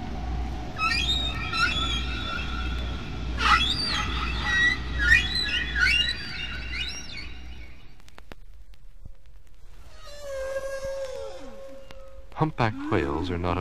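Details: A single humpback whale sings near Bermuda in spring, recorded by hydrophone in deep water at natural speed, mixing high squeaky tones and low rumbling moans echoing off waves and submarine canyons; Humpback whale.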